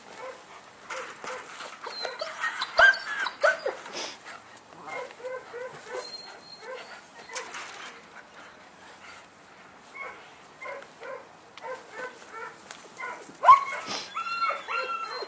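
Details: Male German Shepherd puppy from Saratov, Russia, giving rapid series of short, high whimpers and yelps, roughly two per second, in bursts with brief pauses, a louder yelp near the end, faint human voices at times.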